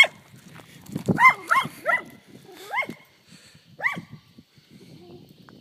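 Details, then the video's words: Barking at cows, a dog gives a quick run of four or five loud barks followed by one more after a pause. Quiet low background sounds fill the gaps. "Dog barking at cows funny"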